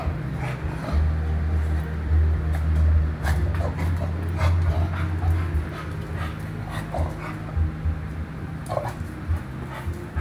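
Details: Happy Chow Chow dog making a low, rumbling growl-like vocalisation held for several seconds and repeated in bursts, with soft whimpering and light scuffling noises over a steady low hum.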